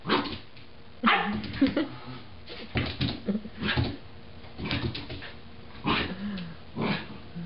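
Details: Roger, a 3–4-month-old Irish Terrier puppy, barks at his own reflection in a mirror, confused by the other dog: sharp broadband yaps come in irregular bursts about every second across the stretch.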